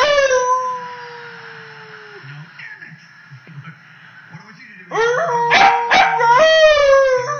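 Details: Young female Pembroke Welsh corgi, close to 10 months old, finding her voice: a long steady howl slowly sliding downward, a quiet pause, then wavering, rising-and-falling howling notes with short sharp yips.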